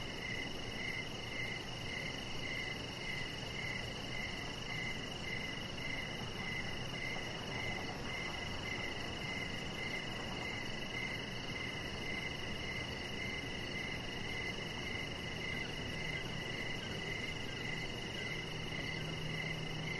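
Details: Steady evening cricket chirping recorded on a deck where a chihuahua puppy lies; rhythmic short chirps repeat nearly twice a second throughout, backed by a sustained high whine and gentle broadband hiss.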